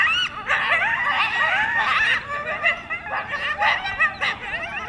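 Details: Coyote pack making loud noises near DeBell Golf Course by Wildwood Canyon in Burbank, California: a dense chorus of overlapping high, wavering yips and quavering howls, rising and falling in bursts with no clear pause between them.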